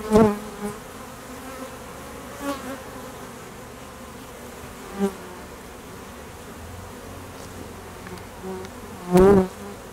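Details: Honey bee foragers and drones flying at an apiary in peak summer honey flow around midday; individual bees zoom close past the microphone with loud, harmonic buzzes swelling and fading, over a constant background hum of the colony.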